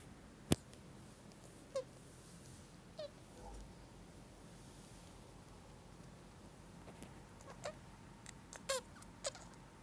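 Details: An 11-month-old male Syrian hamster, thought to be sick, makes short, sharp clicks and faint squeaky chirps at irregular intervals.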